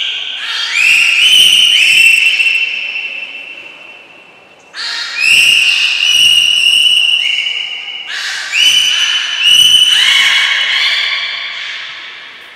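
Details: At Port of Nagoya Public Aquarium on 6 August 2023, belugas Gray, Nana and Mirai during training give three bursts of whistles, each starting with a rising glide and holding sustained tones, separated by short pauses, with soft thuds beneath.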